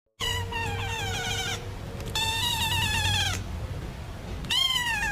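A kitten gives three drawn-out, high, thin meows, each sliding slightly down in pitch.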